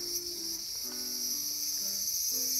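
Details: Continuous high-pitched cicada drone in a small garden, recorded August 5, 2020, with soft, short, lower tonal notes scattered underneath.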